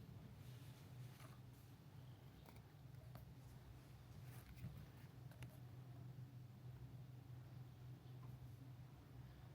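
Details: Steady, deep purring from a friendly cat at a seaside hot-spring guesthouse in Ito Onsen, Shizuoka Prefecture, Japan, an even continuous drone with scattered soft taps and rustling in a small quiet room.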